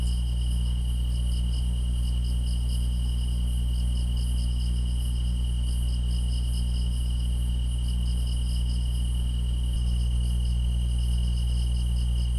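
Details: Many grass insects sing at once, giving an even high ringing note plus clusters of fast rhythmic chirps that swell and fade, backed by a persistent low droning hum.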